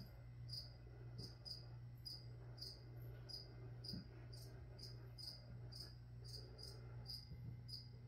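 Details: Cricket chirping amid a plant-spraying session, its sharp high chirps coming every half second or so, softer than a noticeable steady low hum and a light background hiss.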